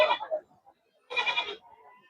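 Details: Goat at the Karad goat and sheep market, with buying and selling going on: two short, harsh, quavering bleats about a second apart, the second louder and wavering, followed by faint background murmur.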